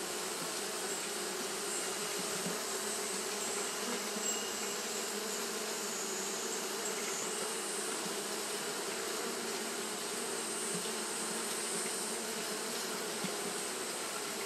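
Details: Many Japanese honey bees keep up fanning behaviour in hot weather, producing a long, constant, swarm-like drone with a warm low hum band and airy hiss, level and unchanging throughout.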